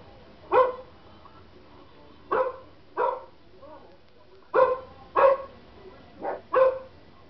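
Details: Household German Shepherd reacting to dog barking sounds played to it; seven loud, separate barks come at uneven intervals, with brief quiet gaps between them.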